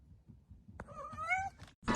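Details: Pet cat giving a short, quiet meow of under a second that bends upward, followed by a sudden loud thump or rustle and a person talking nearby.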